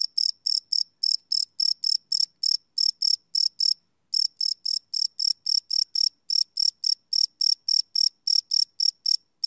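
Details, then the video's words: Crickets at night, recorded live on a Sony PCM D100: sharp high chirps in rapid bursts, with a brief pause near the middle before the pulsing resumes. "Cricket Chirp Sound - Cricket Sounds at Night"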